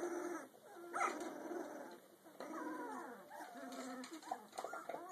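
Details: Rottweiler mix pup aged two weeks and two days, with continuous reedy whining and squeaky cries. The notes warble and bend and are broken by brief pauses.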